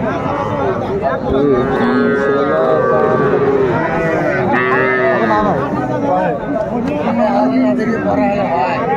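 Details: Sahiwal bull calves crowded at a market in Dhaka, Bangladesh, February 2025: long, rising and falling calf moos overlap in a dense chorus, with people talking nearby.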